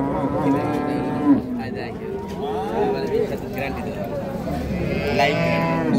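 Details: Lowing of dairy cattle at the Raniganj cattle market, dated 17 November 2025; drawn-out bovine calls rise and fall over several seconds amid a crowd's babble and occasional clatter.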